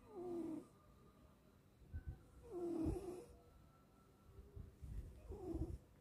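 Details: Sleeping cat snoring loudly; three breaths about two and a half seconds apart, each a squeaky, falling, nasal whistle over a low rasp, separated by soft rumbling thumps.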